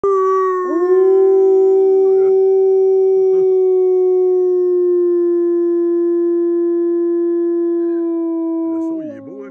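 A wolf gives one long, steady howl that holds its pitch, then drops away at the end.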